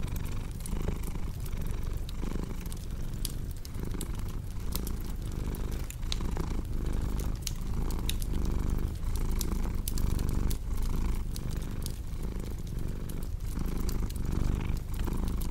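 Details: Contented cat purring in a cozy indoor setting, a long unbroken low rumble pulsing with regular inhale and exhale cycles, accompanied throughout by crisp pops and crackles of a fireplace.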